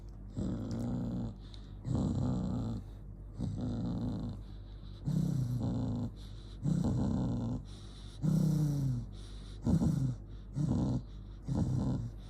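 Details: Angry pet dog growling: low, rumbling growls in short bursts of about one second, separated by brief pauses, roughly every one and a half seconds, with audible breathing between them; indoor setting, no other clear sounds.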